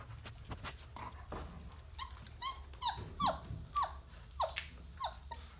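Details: Labrador Retriever puppies whimpering indoors, a series of short falling squeaks about every half second in the second half, over a steady low hum and faint rustling.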